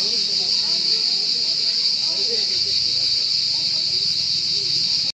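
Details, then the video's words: High, shrill cricket trill continuing steadily without gaps, with quiet human voices faintly audible below it until the sound cuts off abruptly. "Cırcır Sesi"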